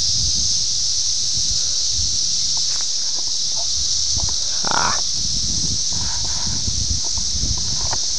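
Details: Brood X periodical cicadas, the 17-year emergence at Ayersville, Ohio, June 18, 1987, taped with a VHS camera: a continuous shrill buzzing wall of sound from many insects, with scattered rustling and small clicks underneath.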